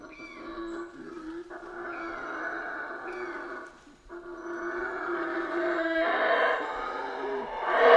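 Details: Several Central American rainforest howler monkeys give deep, guttural, rumbling howls that rise and fall as voices overlap, over a steady tonal hum, possibly soft background music.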